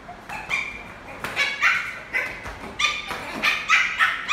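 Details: Lhasa Apso puppy, a playful adopted male pet, during football play time. High, sharp yips and short whiny barks come in quick bursts of about four per second, with a possible faint voice underneath.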